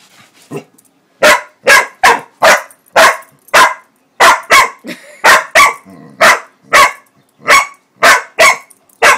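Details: Lucy, a female Pitbull-Corgi mix, barks while reacting to whipped cream: a rapid string of about sixteen sharp, loud barks, often in quick pairs, with short silent gaps between them.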